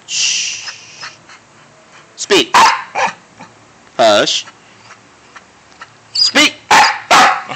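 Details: Barking of Dante, a household dog prompted to speak; a few loud harsh barks come in clusters with pauses, alongside a person repeating speak and quiet.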